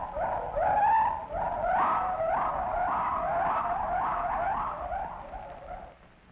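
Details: A gibbon, an ape that lives in Malaysia, at the Bronx Zoo gives a run of loud, rising, siren-like hoots, each note sweeping upward in quick succession.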